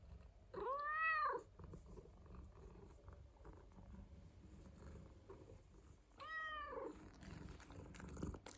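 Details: House cat indoors uttering two long, arching meows about five seconds apart, pitch climbing and then dropping within each call, with quiet low rumbling between them.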